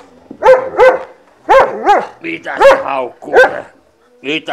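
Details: Dog, called the big boy, barking on a home visit to see dogs: a run of short, harmonic, yelping barks, about seven in four seconds, with a person's voice cutting in between them.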